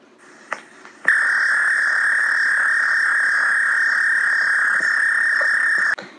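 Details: An American toad gives a long, steady, high-pitched, shrill musical trill lasting about five seconds, with some other sounds mixed in.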